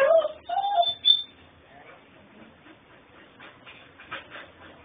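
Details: Puppy indoors in Houston, Texas, making whiny, strange noises: two short high tonal whines, the second slightly rising then falling, in the first second, then a faint rustly room hush.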